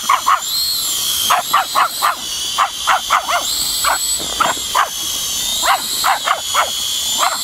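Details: Rey, a seven-month-old Pomeranian puppy, barks at a drone: about eighteen sharp, high yapping barks in quick bursts, some closely paired, over a steady high-pitched whine from the drone.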